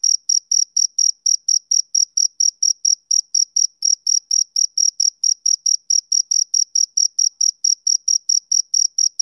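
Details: Steady chirping of a male cricket on a summer evening: a long train of bright, high, clipped pulses repeating almost four times a second with a brief hitch near the fourth second. No other sounds.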